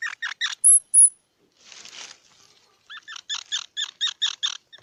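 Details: Squirrel giving bursts of harsh, squeaky chatter notes in quick runs of three, then a longer series of about a dozen evenly spaced pulses. Two brief, very high thin whistles come between, with a soft rustling noise in the gap.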